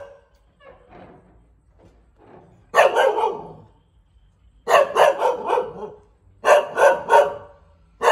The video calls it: เสียงหมาเห่า หมาพันธุ์บางแก้ว